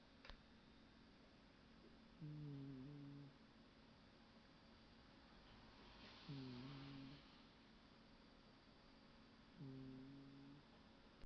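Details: A Scottish Fold cat asleep on a sofa snores softly, each low buzzy breath returning every three to four seconds.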